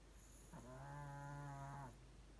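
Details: Pomeranian named Ponmaru sound asleep and snoring loudly: one steady, drawn-out, humming tone with a nasal whine, holding level for about one and a half seconds before stopping, against a quiet indoor background.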